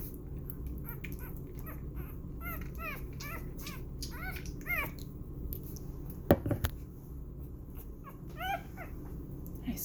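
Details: Six-day-old puppy indoors during bottle feeding and burping, giving many short high squeaks, each rising then falling, in quick bursts through most of the stretch, while a person talks softly nearby and a few clicks and knocks sound.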